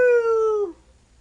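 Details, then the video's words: Nanook, a tiny 5-pound 12-year-old Yorkshire Terrier, sings on cue: a single clear howled note, slightly falling in pitch for about two thirds of a second, then dropping away into quiet. "Yes My Dog Can SIng !"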